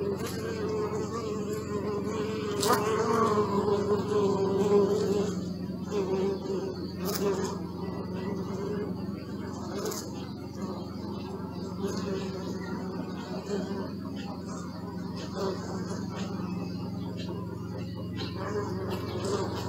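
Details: Bees buzzing, recorded on a Sony Alpha 6000 camera: a steady, low droning hum with wavering overtones that swell and fade as insects pass close, louder around the third to fifth seconds, with a few faint clicks and a constant background rumble.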